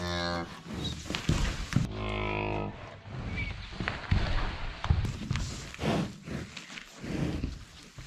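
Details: Cow in labour on a farm, attended by a vet at the farmer's request: two low, richly harmonic moos of about a second each, mixed with people talking and handling noises.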